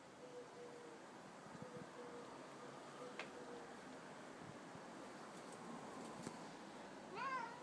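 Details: Bengal cats Simba and Storm, 18 months old: after seven quiet seconds of room hum, one short rising-then-falling meow closes the recording.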